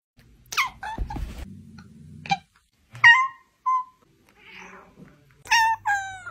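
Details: Cat meowing in a quiet room. Several short, clear meows come at irregular intervals, some rising and others falling, with a soft rustle between them.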